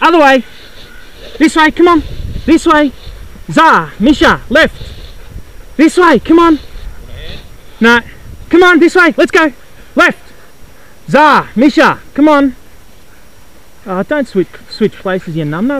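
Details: Sled dogs at the 2012 Wild Dog Derby in South Australia, lined up for the six-dog heat, give loud, excited yelping barks in short bursts with brief gaps, over a faint background rumble.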